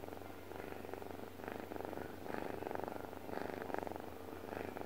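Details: Deep, buzzing purr from Deokbae, a house cat dozing peacefully; the vibrating rumble comes in breath-length surges about once a second, with a low steady hum beneath.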